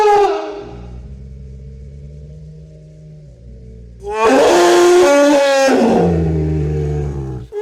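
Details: Elephant opening with a short harsh blast, then a long low rumble. A loud brassy trumpeting burst with wavering harmonics follows at mid-clip before the rumble returns.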